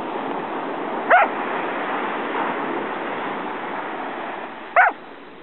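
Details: Two separate sharp barks from a corgi, nearly four seconds apart, each short and bright, with steady low hiss filling the gaps.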